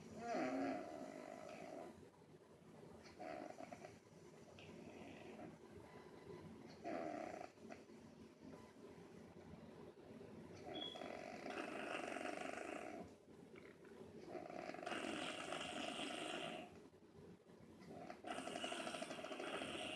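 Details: A dog named Angel Bear snoring while asleep: rough, noisy breaths in long rasping stretches, each a few seconds long, separated by short quiet gaps, with a faint squeak near the start.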